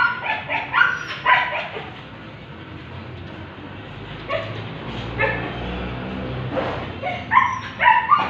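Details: Siberian Husky during artificial insemination at a stud, giving scattered short barks and yelps with quieter stretches between, background hum beneath.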